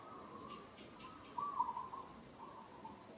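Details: Young monkey in Kampong Cham Province, Cambodia, calling while struggling as another monkey handles her roughly; a few short tonal whimpering cries at mid pitch, rising and wavering, over a quiet hiss.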